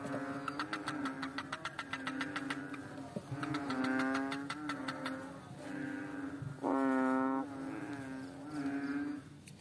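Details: Small fat water frog on a slippery rock gives rattling trains of quick pulses, then long nasal humming notes that swell and fade, with other similar droning calls overlapping throughout.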